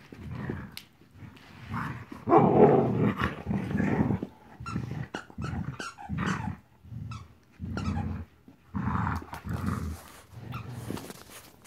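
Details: Marvel, a 14-week-old puppy, playing indoors: gruff, rumbling growls in short bursts, about four a second, rising to a louder snarling stretch near the middle, with brief clicks and knocks between.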